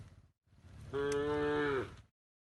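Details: A tame cow lying on a path at the forest edge en route to its pen utters a single steady moo of about one second, falling at the close, preceded by a softer low rumble.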